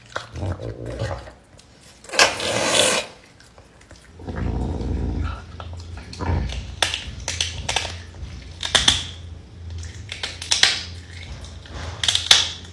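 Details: A pet caracal eating meat, giving low rumbling growls mixed with crunching and chewing noises and sharp clicks and rustles through the clip.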